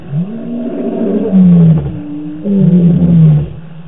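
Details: Lions roaring at night in the African bush, recorded on a live camera on 25 March 2018; deep, moaning roars with long sustained low tones, two main bursts falling slightly in pitch.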